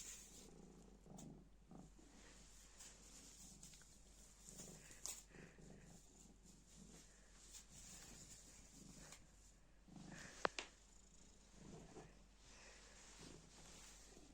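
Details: Purring black cat toying with a piece of black plastic bag, its low pulsing purr repeating roughly every second or so beneath scattered plastic crackles and a couple of sharp taps.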